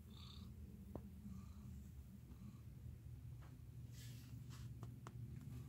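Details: A cat purrs close up with a deep, continuous, rumbling vibration that holds steady throughout, with scattered light clicks and rustles.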